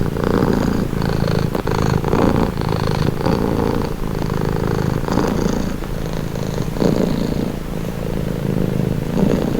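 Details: Cat purring close up, a deep vibrating rumble with faint clicks and breathy upper texture, rising and falling in regular breath cycles.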